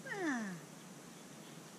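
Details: Australian Shepherd in training, letting out a single falling whine that starts high and drops smoothly, followed by near silence and the start of another rising whine at the end.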